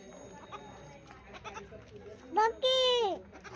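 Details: Young Indian goat kid playing with children in a village: a short stuttering bleat, then a longer, strong, wavering bleat that drops in pitch at its end, over quiet talking voices in the background.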